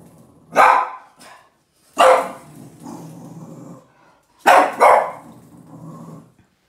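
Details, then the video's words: Angry at the trash can, Yoda the Boston terrier lets out three loud, rasping barks, with a sustained low growl rumbling in the gaps between them. "Yoda the Boston terrier angry and barking at the trash can"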